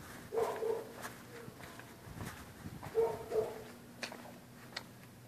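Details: Dogs barking at night at people passing on the public sidewalk; two quick doubled barks about three seconds apart, fairly distant, with soft thumps and low background hum.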